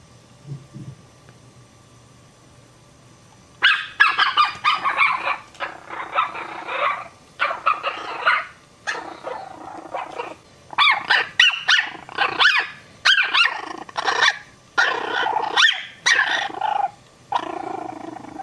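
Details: Puppies give high, sharp yips and barks in quick, irregular bursts after a quiet start.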